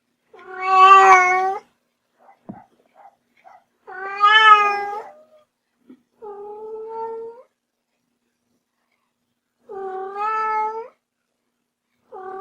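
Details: A house kitten meows five times, irregularly spaced. Two loud, strident cries open the sequence, then softer, flatter meows follow. Faint clicks and light taps are heard in a quiet room.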